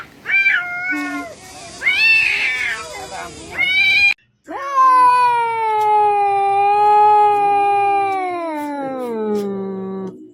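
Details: Domestic cat gives a series of meows: several short harmonic meows in the first four seconds, then one long drawn-out meow that holds steady and falls in pitch toward the end.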